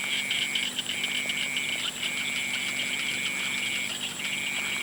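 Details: Evening frog calls heard as extended high trills with short breaks between them, over a steady shrill drone and light crackling.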